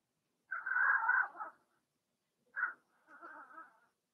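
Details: Blenheim Cavalier King Charles Spaniel puppies from a litter of six, housed indoors in a pen. A drawn-out nasal whine lasting about a second, then a short yelp and a softer trailing whimper.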